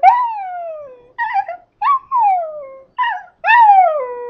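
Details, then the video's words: Scottish terrier coaxed into singing, producing a run of clear howls that start high and slide smoothly downward, five phrases in quick succession with brief gaps, the last long and steady. "Duff Sings the Blues"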